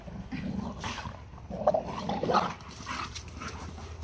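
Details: Pitbull Capone and Malamute Tonka, lifelong friends since puppyhood, play fighting as the heavier Tonka uses his size and weight; low rumbling growls and grumbles with a couple of sharper mid-pitched vocal bursts, over steady background hum.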